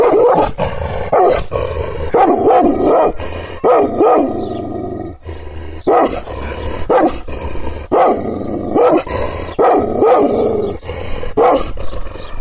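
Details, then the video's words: Kangal shepherd dog barking angrily after being provoked by gestures: a long run of hoarse, descending barks, mostly single and sometimes doubled, spaced irregularly with brief gaps, over faint low background rumble. "Yırtıcı kangal köpeği anadolu aslanı çoban köpeği kızgın köpek havlamasi urmesi sesleri"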